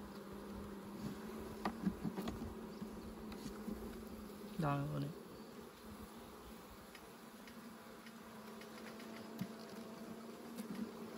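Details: A low, continuous bee drone during honey collection, with scattered clicks and a brief louder scraping burst partway through before the hum settles again.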